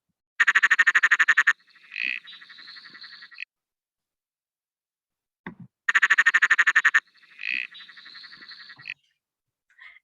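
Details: Perron's tree frog (Litoria perroni) calling, likened to a loud, expansive laugh: a rapid pulsed rattle about a second long, then softer chuckling notes, repeated twice; an eastern dwarf tree frog calls faintly in the background.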